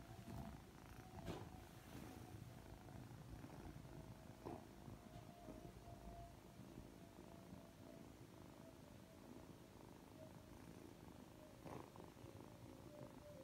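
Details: Affectionate Ragdoll kitten, three months old and freshly awake, keeps up a low soft purr under a faint steady hum, with occasional light taps and rustles.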